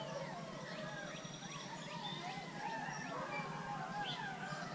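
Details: Gray wolves (Canis lupus) at Wolf Park, July 8, 2017, Howl Night, including Bicho and Kanti, join a prompted group howl after a count of three, with overlapping, gliding tones that rise and fall.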